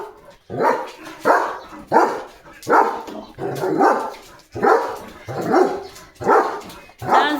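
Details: A German Shepherd on morning guard duty at the gate gives a series of deep, forceful barks, roughly one per second, jumping as he barks at another dog passing the house; he later tires from barking.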